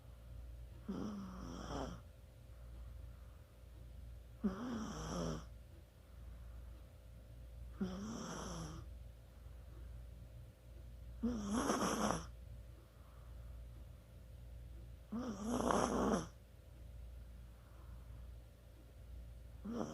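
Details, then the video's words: Chihuahua snoring in its sleep, dated 24 October 2020; raspy, wheezing snores come every three to four seconds, five full breaths with a faint whistle at the start of each, steady low room hum beneath. "치와와의 코골이"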